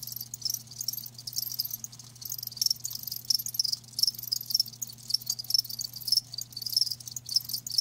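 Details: Live crickets producing dense, high shrill chirping, near-continuous at first and then breaking into rapid pulses roughly twice a second, accompanied by a faint steady low hum.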